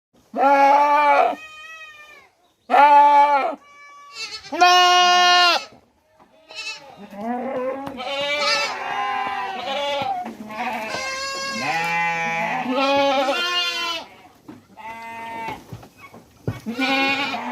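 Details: Indian goat in Mumbai crying for its kid: a run of loud, wavering, nasal bleats, some short and some drawn out, often overlapping with fainter answering bleats from other goats across the recording.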